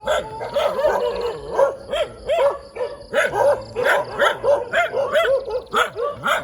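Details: Dogs barking in the morning in the middle of a road: a dense run of short, sharp barks, about two or three each second, overlapping as if from several dogs, with a faint steady high hum behind.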